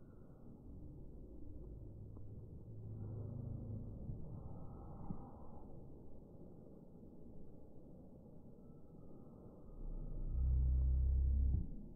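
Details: Quiet low rumble and faint hum run throughout, swelling into a louder low-pitched drone near the end, with no animal calls.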